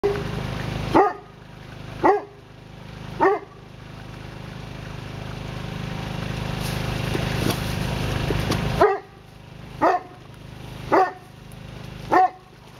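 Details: Excited male Newfoundland dog barking: three deep, harmonic barks about a second apart, a long stretch of steady broadband rushing noise, then four more barks at the same pace.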